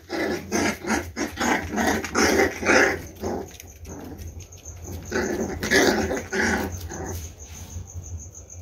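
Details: Boxer and pitbull cross puppies, 28 days old, from a fawn Boxer mother named Xena and a black pitbull father named Brutos, playing on the floor: clustered bursts of rough growls and yaps in two spells, with a steady high whine throughout.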